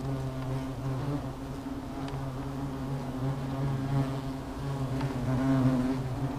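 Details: Hornets at their nest, stirred up and agitated, give a steady low droning hum with layered tones, continuous and even throughout, with faint crackling in the background.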